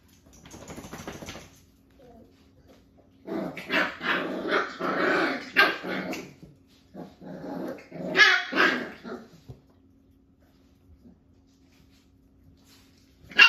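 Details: Jack-A-Bee puppies, a Beagle and Jack Russell cross aged five weeks, in a play date with cousin Ivory: a burst of scuffling growls and rapid high barks, then a short pause and another yelp.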